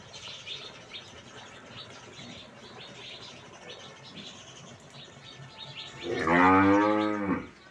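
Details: A top-quality F1 crossbred dairy cow on a farm, ready with over 18 litres of milk, lets out one loud, deep, harmonic-rich moo lasting about a second and a half near the end, after several quiet seconds of faint bird chirping.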